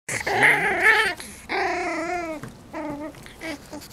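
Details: Six-week-old Cavalier King Charles Spaniel puppies, five in a litter, romping on a deck with their mother; a pup gives three high whining cries, the first long and wavering, then a falling whine and a shorter rising-falling one.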